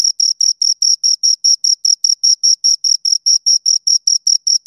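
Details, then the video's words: Shrill, rhythmic chirping from two crickets, each short high pulse following the last at about five per second, clear and close with a silent background. "Two Crickets Chirp Sounds"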